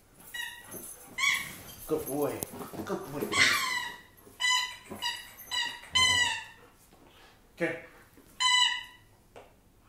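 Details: A German Shepherd whines and yelps in a quick series of high, tonal cries, several in a row, interleaved with a person talking to the dog encouragingly.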